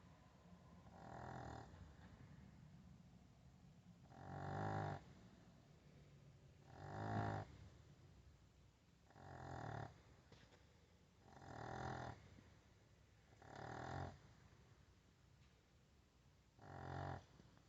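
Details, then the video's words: A Chihuahua puppy snores like a little piglet, each raspy, nasal snort about a second long and repeating steadily every two to two and a half seconds, with quiet breathing between in a still indoor room. "Chihuahua puppy snores like little Pigglet"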